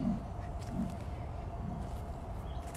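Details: Female leopard at a big cat rescue sanctuary, in a morning walkabout, making her sawing noise: deep hoarse grunts in a slow series under a second apart, like a saw through wood, over steady low outdoor rumble.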